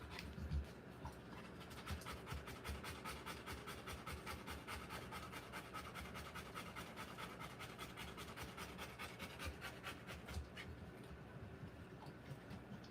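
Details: Rottweiler in labour giving birth to puppies, breathing in fast shallow pants, roughly two to three per second, fairly uneven in spacing, for about ten seconds before easing off into quiet.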